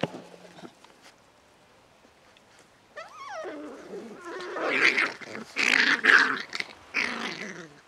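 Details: Playful litter F Beagle pups at seven weeks, near silence, then a rising whimper followed by rough, noisy growls and yappy barks in dense overlapping bursts until the end.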